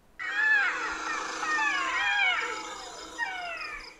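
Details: Pack of dholes, natural enemies of the gaur in Thailand: several overlapping whistled calls that rise and fall, crowding together over about two seconds, followed by a shorter pair of descending whistles near the end.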